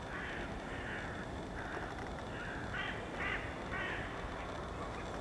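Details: A golden jackal (Canis aureus) in Estonia gives a string of high, wavering yelps over a steady rushing background noise.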